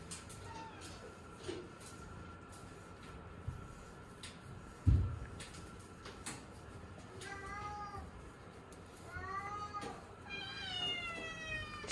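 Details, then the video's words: Domestic shorthair cat up for adoption, giving a few short harmonic meows in the last seconds, rising then falling, after a quiet stretch with a steady hum, a single loud thump and faint clicks. "Domestic Shorthair"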